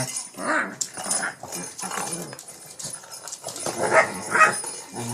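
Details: Shih Tzu dog attacking a cat toy late at night in Pennsylvania; short rough growls and yappy barks in bursts, several per second with brief pauses, fairly close and indoors.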